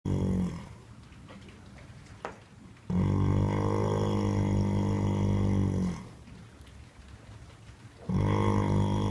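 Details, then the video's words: A horse snoring while asleep in a stable: long loud buzzy rumbling snores of about three seconds each, separated by quieter pauses of a few seconds. "Snoring Horse"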